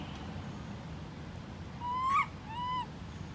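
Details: A pitiful cry from baby monkey Lori, left behind by mother Amari: a drawn-out whine rising steadily to a sharp break, followed by a shorter curved wail, set against a quiet low hum.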